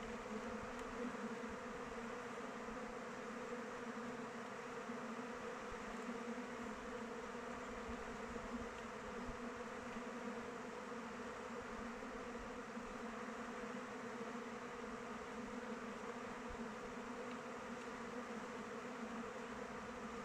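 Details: Continuous hum of many honey bees in flight around a hive in open weather, a thick even drone with stacked tonal bands and no breaks.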